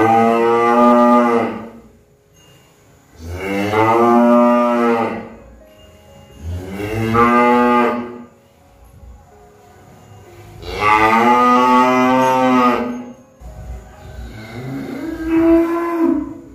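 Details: Repeated cattle moos, five drawn-out bellowing calls roughly every three seconds, each rich in harmonics and swelling then fading, the last one shorter and weaker.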